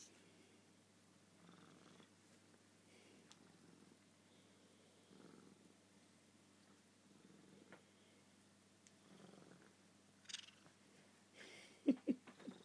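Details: Suki the cat at bed time, a nightly ritual at the same time and place, purring softly indoors: a low, quiet rumble swelling and fading in slow breathing cycles, with a few short sharp sounds near the end.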